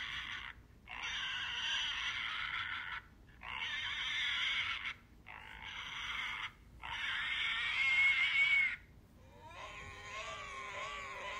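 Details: Pig squealing in four long, harsh, noisy bursts of about two seconds each with short silences between them, ending on a lower, wavering harmonic cry.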